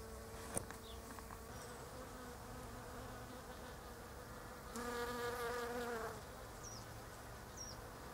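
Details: A bee among pink Japanese quince blossoms, rarely settling on a flower: a soft distant hum swells into a loud, close, rich buzz for about a second as it passes near, then fades. Brief high bird chirps follow.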